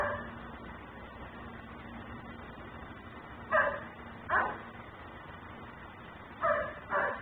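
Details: Barking dog left outdoors by its owner, recorded on a continuously cycling camera; two pairs of abrupt barks near 3.5 and 6.5 seconds, with quiet hum between them.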